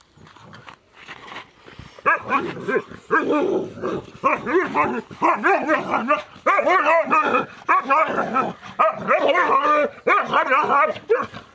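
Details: Gaddi puppy barking at a fake lion in a prank, a dense run of short, high, yelping barks that continues almost without pause from about two seconds onward.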